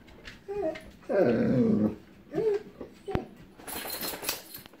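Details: Echo, a female pet dog indoors, barks and whimpers after seeing distant lightning, before any thunder, showing her fear of storms. Short whiny yelps lead to one louder drawn-out whining bark, then softer hissing noise and a brief word.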